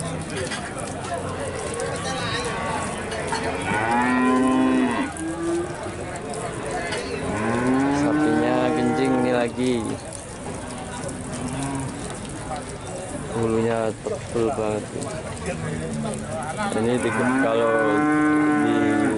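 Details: Big Limousin cattle at the Pon animal market, Nganjuk, East Java: repeated deep moos, several long and arching, others short and clipped, spaced a few seconds apart, with a steady hubbub of people and market noise underneath.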